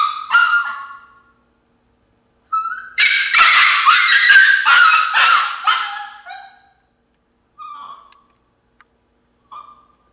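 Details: Alaskan Klee Kai puppy Senna protests in her crate with a short whimper, then three seconds of rapid, loud, shrill yelping screams, trailing off into a few isolated high whines separated by silence.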